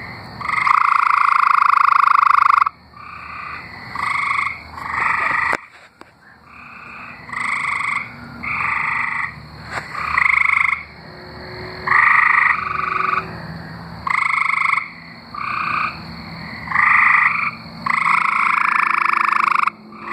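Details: Tree frogs singing in Arkansas: several overlapping musical trills, each lasting one to two seconds, with bands near one and two kilohertz-range pitch, alternating and answering one another almost without pause.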